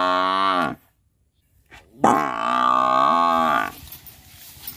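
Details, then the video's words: Buffalo lowing: a short, deep moo cut off, then a silence and a soft knock, followed by a longer, steady nasal moo of about a second and a half that fades into faint background noise. "Buffalo Sound"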